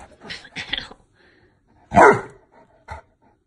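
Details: A young rescue Saint Bernard puppy talks back when told it is bedtime: grumbling, yowling vocal bursts in the first second, then a loud, drawn-out howling bark near the middle and a short yip after it, in a quiet room.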